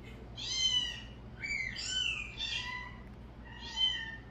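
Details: Cats reacting to calling sounds, some hidden from view; four high, harmonic meows about a second apart, rising then falling, over a steady low electrical hum.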